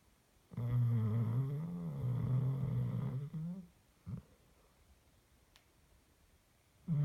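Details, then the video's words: Dog asleep and snoring, one long droning low inhale of nearly three seconds that rises in pitch at the end, then a brief snort and silence before the next breath begins; quiet indoor room. "My dog snoring for two minutes"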